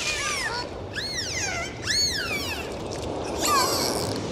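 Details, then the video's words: Dolphin whistles underwater: three clear arching tones, rising then sliding down, spaced about a second apart, followed by a short low downward whistle, all over a steady hiss of sea noise. "Sound of Dolphins"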